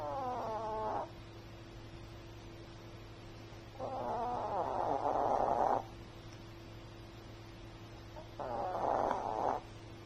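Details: Sleeping Chihuahua snoring: three raspy, rough breaths, each one to two seconds long, separated by quiet gaps of several seconds, over a steady low electrical hum.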